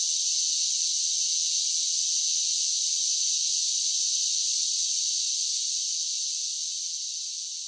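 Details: Cicada song on a summer day, one continuous shrill electric buzz holding a constant high pitch, fading slightly softer toward the end, nothing else audible beneath it.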